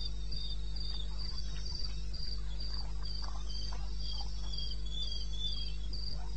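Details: Crickets calling at 02:30 in the wilderness of eastern Botswana, 21 May 16. Shrill pulsed chirps pour out evenly, with a second slightly lower voice woven between them. A constant deep drone sits underneath.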